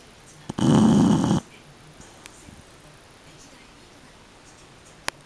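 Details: A sleeping Shar-Pei gives one loud, rough snore of just under a second. Quiet breathing follows, broken by a couple of faint clicks.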